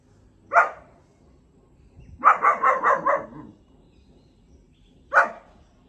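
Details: A four-month-old German Shepherd puppy gives a single bark, a quick run of five barks, then one more.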